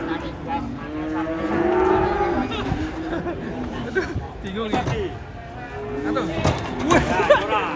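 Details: Cattle coming down off a truck as a child runs alongside: repeated low, bending moos, one swelling and sliding upward early on, then shorter calls mixed with clattering hooves, thumps and men's voices.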